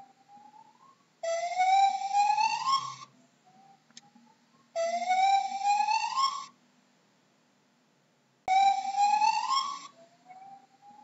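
A gibbon gives loud, rising, siren-like whoops, each lasting under two seconds, repeated three times.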